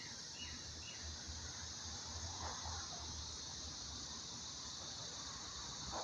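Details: Cicadas singing in July at the start of their summer season: a steady, high, hissing drone holds unbroken throughout, with a few faint bird chirps and low background rumble.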